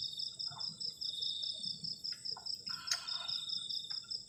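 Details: On a cold night beside a garden shelter, crickets give an unbroken high pulsed trill layered over a steady shrill note. Short thuds and one sharp crack from nearby activity come through.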